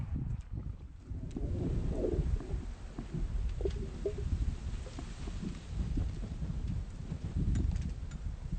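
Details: A female Atlantic salmon recorded underwater in winter gives soft, brief bubbly pops and gurgles over a deep, steady low rumble of moving water.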